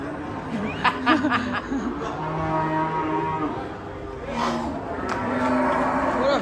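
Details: Agitated raging cattle bellow in low, droning moos, with several short sharp knocks and clatters early on and a rougher, louder bellow toward the end.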